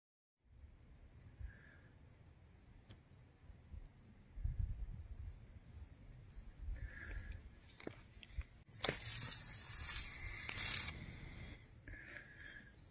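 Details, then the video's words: A hoary bat (Lasiurus cinereus), likely knocked from a tree by a jay or crow, lies on its back with wings spread, giving a string of faint, rapid clicks then a harsh, breathy defensive hiss. "Hoary bats hiss and click"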